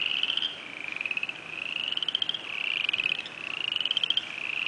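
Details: Spring peeper (Pseudacris crucifer) chorus, first heard of the year in early spring: high shrill peeps overlapping into a continuous ringing din.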